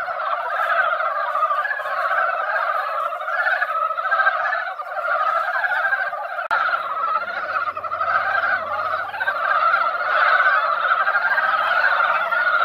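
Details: Many mountain frogs crowding a mountain pond after a rain that barely wet the ground, singing in their once-a-year breeding gathering; a thick wall of rapid, overlapping croaks throughout, with a faint low hum entering in the second half.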